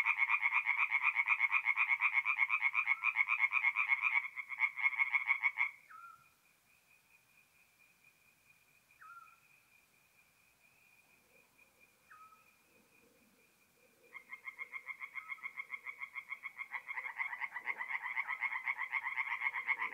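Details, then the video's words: Tree frogs singing at night at a forest pond in north-east Italy in mid-April: rapid pulsed croaking bands, a loud chorus for five seconds, then near silence with a faint steady tone and sparse chirps, before the chorus resumes strongly. "relaxing forest pond by night with singing tree frogs"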